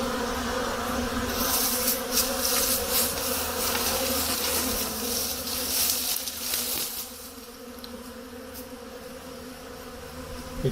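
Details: Spring activity of honey bees around hives on a day warming to 50 degrees Fahrenheit after heavy snowmelt: dense, continuous droning buzz of many bees, louder at first and easing slightly toward the end.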